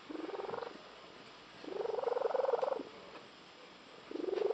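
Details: Female house cat giving her unusual frog-like purr: three buzzy, rapidly pulsed bursts, the middle one longest at about a second, each with a faint rising tone, separated by short pauses.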